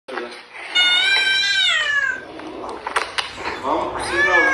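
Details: Domestic cat giving a long, drawn-out meow that rises and then slides down, its tone rich with harmonics, followed by softer rustling sounds and a second, shorter rising-falling meow at the end.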